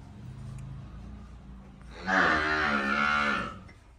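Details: Calves enjoying themselves: after a low steady hum, one loud, drawn-out bellowing moo rises with rich harmonics, holds for about a second and a half, then fades.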